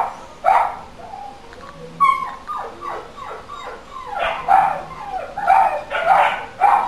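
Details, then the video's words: Dog barking as a neighbourhood noise nuisance, recorded for local council noise monitoring; sharp loud barks mixed with whining, yelping tones, bursts at irregular intervals and clustering into quick repeated barks toward the end. "Dog barking"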